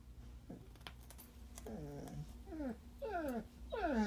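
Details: Puppy crying while eating carrots, indoors in a small room: a series of whiny, descending cries with clear harmonics, each sliding downward and growing louder toward the end, against a steady low hum.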